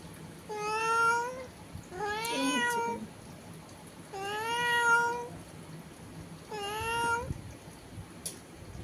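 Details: Cat indoors meowing through a window at another cat outside; four drawn-out meows about every two seconds, each slightly rising, in a quiet room.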